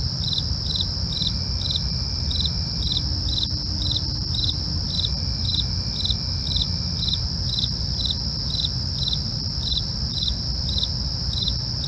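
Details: Crickets calling at night in a steady beat of sharp high chirps, about two each second, backed by an unbroken shrill trill and a low continuous rumble.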